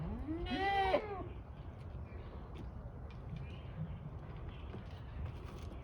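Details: A Kiko goat at Assiniboine Park Zoo, May 2023, gives a single loud, wavering bleat that rises and then falls away.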